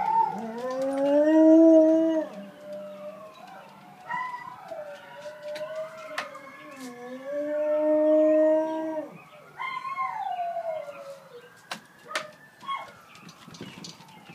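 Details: Faolan, a wolfdog, howling in response to sirens; long smooth rising and falling howls, several overlapping drawn-out tones, with a distant siren wail and a few sharp clicks behind.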